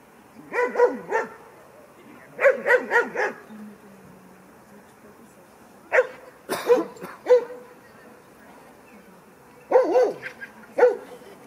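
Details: At 16 weeks, the Kleiner Münsterländer female Franzi plays for the first time among mostly grown dogs; quick clusters of two to four yappy barks repeat several times, separated by short silent gaps, with a brief low hum between.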